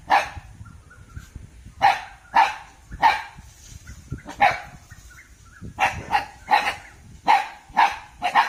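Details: Alert Thai Ridgeback barking with gaps: single sharp barks spaced a second or so apart, then a quicker string of evenly spaced barks toward the end, with faint background hiss.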